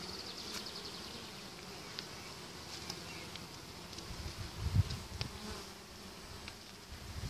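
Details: Many bees flying in to a beehive carrying spring pollen on 28 March; steady low droning hum of wings, with brief louder buzzes as individual bees pass close near the end.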